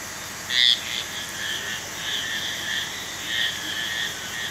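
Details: Marbled tree frog: a single short, loud, bright call with two stacked high tones stands out near the start over a steady background chorus of softer, similar frog calls that pulse on and off.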